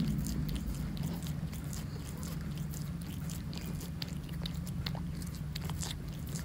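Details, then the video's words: Calico cat Monkey, utterly mesmerised by a tuna treat, licking relentlessly: a fast, uneven run of wet clicks and smacks, roughly three or four a second, over a steady low indoor hum. "Relentless licking of tuna!"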